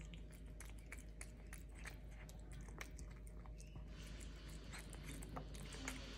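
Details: Mabel, a domestic medium hair cat, eating a tuna can treat: rapid wet clicking and smacking bites in an irregular stream, with a faint steady low hum beneath.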